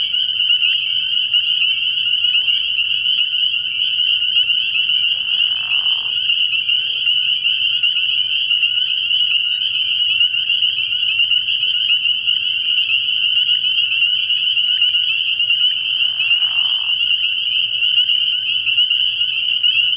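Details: Spring peepers calling in a dense chorus at a frog pond at night, early in the year: a continuous shrill, high wall of overlapping peeps, with brief lower rasping notes breaking through around five and sixteen seconds.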